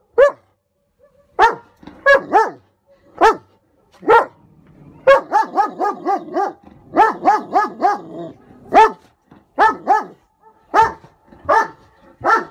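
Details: German Shepherd barking at an approaching hot air balloon. Loud, sharp barks come singly and in quick runs of three to six, with short gaps between bursts; around twenty barks in all, in a quiet setting.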